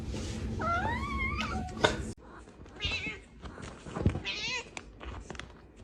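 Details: Kitten meowing indoors: a couple of short, rising-then-falling meows early on, then a fainter wavering meow later, among thumps, rustling and background voices.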